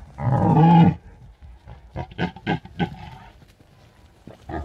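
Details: Night recording from a drop rig in Bucovina's mountains during the red deer rut; one hoarse, low roar opens, followed by a series of short, irregular grunts and huffs.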